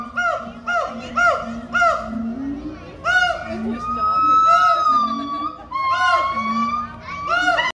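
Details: Siamangs call loudly, with a run of ringing, arching whoops repeated about twice a second, then a long rising wail; the chorus is a territorial call, heard alongside baboons also calling over territory.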